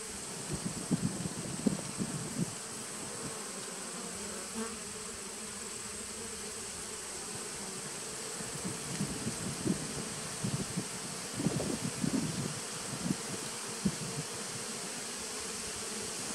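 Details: Honey bees of a 2017 nuc colony, 19 September 2018: a constant low hum broken by irregular bursts of louder buzzing, as individual bees pass near, clustered early and again around the eleventh to thirteenth seconds.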